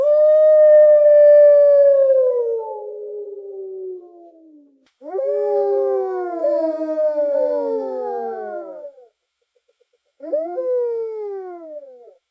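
Wolves howl in a chorus, with long, smooth, falling tones that overlap as several voices join in.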